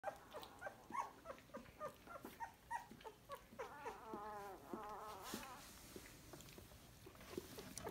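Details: Basset Hound mother with her puppies in Montréal. Rapid series of high, whining whimpers, short notes about three per second, giving way to longer wavering cries midway.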